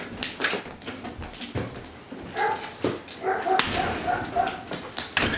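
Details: German Shepherd named Queen, a pet that opens a door and comes in at will, giving short high whines in brief runs around the middle of the recording, with rustling, thumps and indoor household noise throughout.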